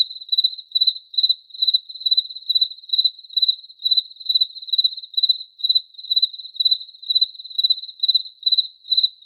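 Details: Cricket chirping steadily: a narrow high-pitched pulsed trill repeated a little over twice per second, each chirp made of rapid pulses, with faint higher overtones and no other sounds.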